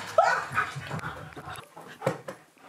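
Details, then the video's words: Siberian Husky named Key at home, excited while demanding lunch and chasing his treat ball; a short rising whine followed by softer whimpers and low rustling indoors. "My Husky Demands Lunch In The Funnest Way!"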